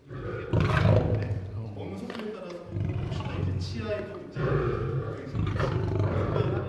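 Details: A captive lion at a zoo, fed raw chicken by keepers in spring with females and males separated to prevent food fights, gives deep, rumbling growls over its food, growling louder the longer feeding waits, while a man speaks.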